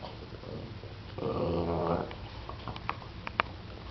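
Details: Seven-year-old Boston Terrier guarding its bone from a persistent ten-week-old puppy inside a small room; one sustained harmonic growl lasting under a second, followed by quiet shuffling and a sharp tap.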